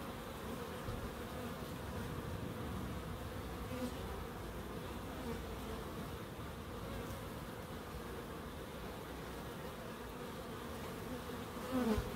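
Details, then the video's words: Bees in a small Crookes wildlife garden keep up a constant buzzing drone, and a brief downward-sliding note cuts in right at the end. "1hr of Relaxing Bees"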